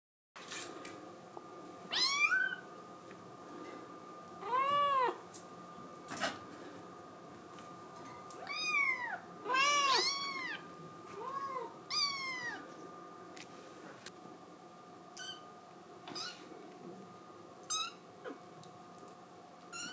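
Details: Scottish Fold kitten crying because it wants to go outside, indoors; a series of short arched meows with rich harmonics, several in close succession around the middle, then softer scattered calls, over a steady faint background hum.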